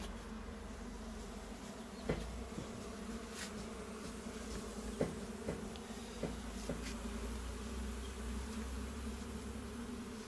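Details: Colony of local honey bees inside a farm's goat shed, hunted for their honey; an even, sustained low hum runs the whole stretch, punctuated by scattered clicks and taps.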